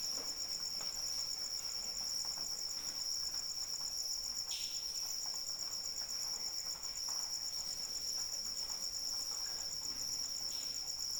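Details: Crickets singing during rain: a continuous piercing trill with a fast, even pulse, one sharp splash near the middle, and soft steady rain throughout.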